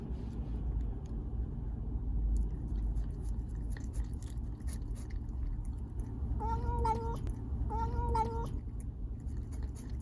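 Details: Siamese cat Chacha, taken to an animal hospital for a cough, gives two drawn-out mid-pitched meows close together near the end, each steady with a slight wavering, over a low indoor hum and a few soft clicks.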